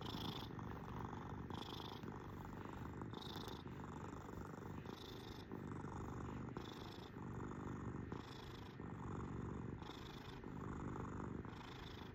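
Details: Domestic cat purring for about twelve seconds, an unbroken low rumble pulsing with regular in-and-out breaths roughly every one and a half seconds, brief airy hisses marking each breath.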